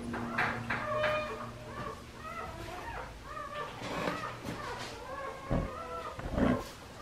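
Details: Priscilla's litter of Australian Shepherd puppies, aged five weeks, at Fifteen Acre Farms, Oklahoma: a chorus of thin curved whimpers and yelps in quick succession, voices overlapping, with a few thuds and a faint hum.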